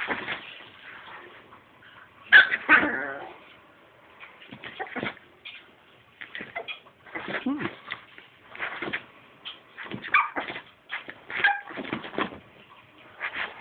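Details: A one-year-old Chihuahua barking, its owner calling it burping, at a hand monster: short, gravelly, yippy bursts at irregular intervals, some louder and broader than others, with a person's voice mixed in at times.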